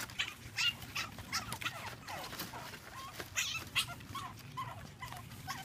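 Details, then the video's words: Pug puppies at play, giving short high yips and whimpers in irregular bursts, several per second at times, with quiet gaps between. "Pug Puppies Play"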